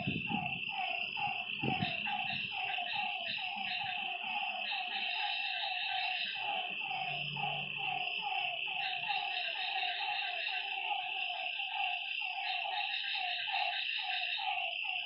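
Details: Frogs calling at night by a lake: a dense chorus of short, nasal notes repeated rapidly and overlapping from many callers, over a steady high insect-like drone.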